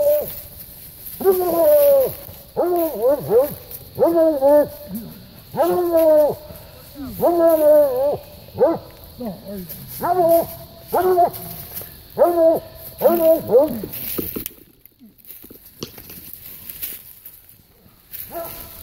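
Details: Coonhound pups Hunter and Bella in hunting training, Hunter from bear breeding stock and Bella from coon breeding stock. Loud, harmonic, bawling bays repeat about a dozen times over thirteen seconds, then fall quiet with faint background hiss.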